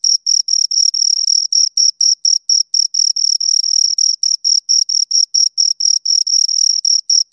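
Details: Chirping from two crickets, made by stridulation: rapid, evenly spaced high-pitched pulses, roughly four per second, forming a continuous metallic trill with clean silence behind it.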